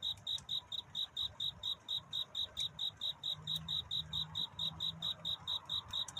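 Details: Cricket singing to find love during the night: regular short high chirps about four per second, pitch steady throughout, with a brief low droning tone midway and faint ticking in the background.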